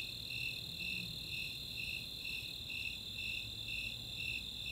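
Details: Snowy Tree Crickets and Four-spotted Tree Crickets calling together on a summer night at Chautauqua in Boulder, Colorado; evenly spaced high chirps roughly every half second ride above an unbroken shrill trill.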